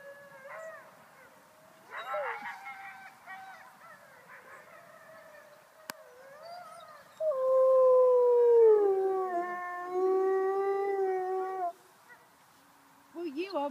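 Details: Female gray wolf (Canis lupus) out on a walk with people in Bedfordshire gives a long, smooth howl that slides down in pitch, then holds steady: a contact call telling her sister she was okay.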